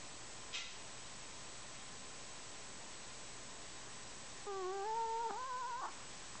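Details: Kenny the Chihuahua snores: after a long quiet pause with one soft click, a single drawn-out, nasal, whistled tone wavers slightly for over a second.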